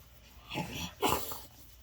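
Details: Enjoying pets and belly rubs, a male French Bulldog gives two short, breathy snorts about half a second apart, his happy noise, in a quiet room.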